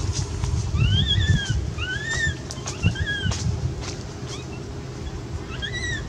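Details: Frightened and pleading for milk, the cat Quinton meows in quick succession, each cry a rising-then-falling arch, about four distinct calls over a constant low engine-like hum.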